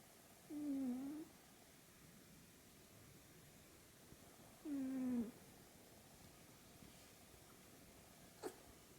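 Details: American Shorthair cat named Killua snoring while asleep: two short, low, tonal snores with a slight dip in pitch, about four seconds apart, over a quiet background with one faint click near the end.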